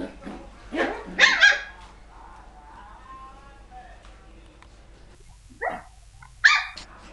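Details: Poodle puppies yapping indoors: a burst of sharp, high barks in the first second and a half, then a quiet stretch with soft voices, followed by two more short yaps near the end.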